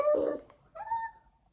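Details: Full-grown Pomsky dog making odd noises while biting: a short rough burst followed by a brief gap, then a thin whistled whine that rises slightly and fades out.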